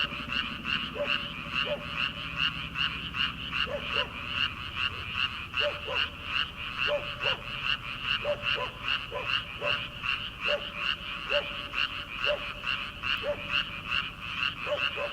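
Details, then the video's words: Many frogs croaking in rice paddies at the start of summer, before planting season. A continuous throbbing chorus of raspy pulses, roughly two or three per second, is broken by sporadic lower, clipped calls. "초 여름 개구리 울음소리/ 논에서 들리는 개구리 소리"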